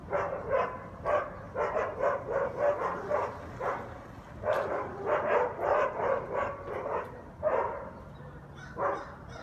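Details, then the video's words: Sunday 7am in New Orleans, guard dogs on Conti St. bark without pause, heard from a nearby house; rapid, overlapping barks in quick runs, several dogs layered together, with brief lulls near four and seven seconds. "Guard Dogs Barking Noise Violation"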